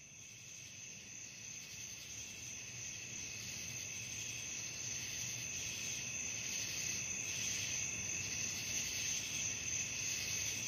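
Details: Crickets calling at night: a dense, unbroken chorus of high, shrill trilling in several steady pitch bands, growing slightly louder toward the end, with no other clear sounds.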